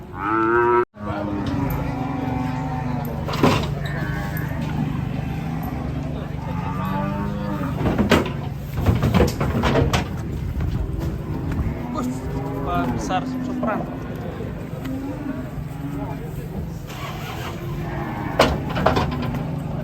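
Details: Raging cattle lowing repeatedly amid a noisy setting: overlapping, wavering moos run throughout, with sharp knocks and clatter, a steady low hum and engine-like rumble beneath.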